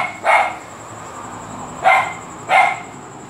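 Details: Three sharp, loud barks from Luphe, a dog barking a great deal, spaced unevenly over a few seconds against a steady high-pitched hum.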